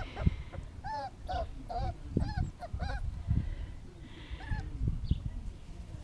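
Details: Five-week-old puppies, two awake, newly let out to play: a run of short, arched whining yips, about ten in six seconds, over low thumping and rustling of movement.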